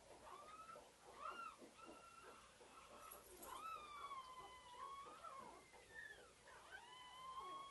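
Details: A white female pug puppy called Pink Collar, a CKC purebred, whimpers in short high whines that give way to longer drawn-out, wavering cries toward the end, over a faint steady hiss.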